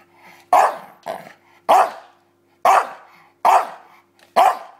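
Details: Bulldog playing with a pillow, giving six deep, rough barks at roughly one-second intervals, each sharp onset dying into a brief raspy growl, with a low steady hum in the background.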